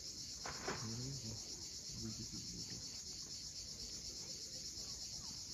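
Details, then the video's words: Sunset on Cape Fiolent's steep Crimean coast, where cicadas keep up a constant shrill buzzing wall of sound while low murmuring sounds come and go beneath it. "Cicadas at sunset."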